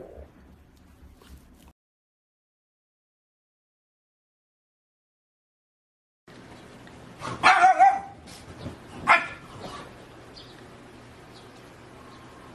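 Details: French Bulldog puppy letting out two quick, high yips a second or so apart after a stretch of silence, with low background hum.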